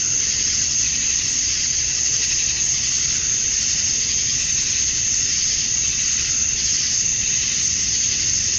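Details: A steady wall of cicada sound on a Georgia, USA summer evening, as males call to attract females: a bright, even, high-pitched buzz with faint pulsing texture and no pauses.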